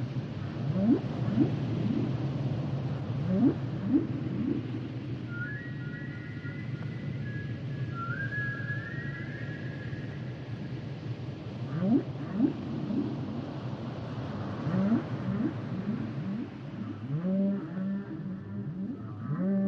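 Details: Humpback whale song with repeated rising low swoops and grunts, a pair of high whistled tones in the middle, and a rumbling underwater backdrop throughout.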